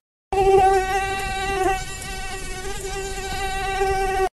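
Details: Mosquito buzzing in a steady, thin, nasal whine that holds one pitch with many overtones, wavering slightly in loudness and running unbroken for about four seconds.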